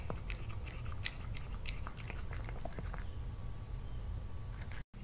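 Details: Cat named Lily eating food at lunch, a run of crisp, irregular crunching and chewing clicks over a steady low hum, ending in a brief silent gap.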